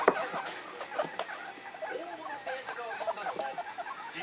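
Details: Three young pet guinea pigs, Komachi, Yokihi and Cleo, aged one to one and a half months, excitedly calling indoors, with rumbling "rururu" sounds said to show displeasure; quick stuttering cluck-like pulses and short chirps, with television voices murmuring behind.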